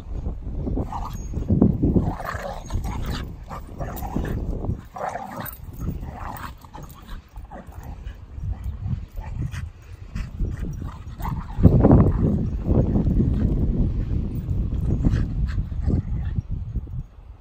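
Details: Two rescue dogs, Paris the female Doberman and her dog brother Kobi, a Staffordshire Bull Terrier, playing together in a home garden; rough, low vocal bursts and short yips come in uneven bursts over a steady deep rumble.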